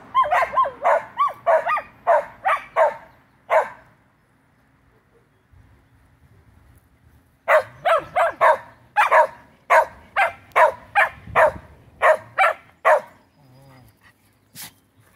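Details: Dog reacting to a fire truck siren: a burst of quick barks, a few seconds of quiet, then another fast series of sharp yapping barks.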